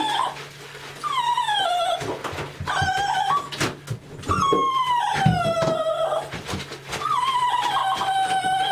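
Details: A female Lhasa Apso, being given a bath, whines in long, high, wavering cries that slide downward and repeat.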